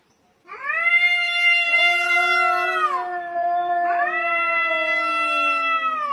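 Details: Domestic cat giving two long, loud meows, the first a sustained drawn-out wail that dips at the end, the second rising then slowly falling, with rich harmonics and no other sounds.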